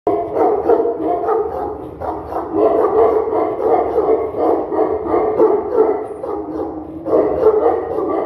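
A Tibetan Mastiff barks in a rapid, dense run of deep, rough barks, with voices possibly mixed in.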